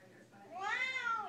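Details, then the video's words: Female Siamese cat singing along with her owner indoors to a Les Misérables tune: one drawn-out meow rising into a high arch and slowly falling away, with soft room noise. "Siamese cat loves to sing her favorite "Les Mis" song"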